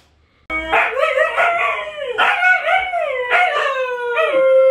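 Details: Siberian Husky howl, one of Luna, Gizmo, Arya or the puppies: after a brief silence, long drawn-out tones that dip and swell in three or four arcs, ending on a steady held note.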